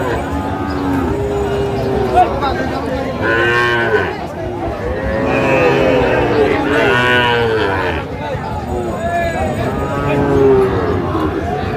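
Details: Sahiwal bull calves at a cattle market in Kushtia, Bangladesh, on 24 April 2025: several drawn-out, wavering moos rise and fall in long arcs, overlapping one another amid steady crowd chatter and men's voices bargaining.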